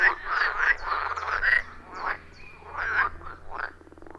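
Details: Forest pond frogs in chorus, recorded with iPhone 14 Pro and Shure MV88+; grouped croaking bursts with short pauses between, fading toward the end, over a soft steady hum.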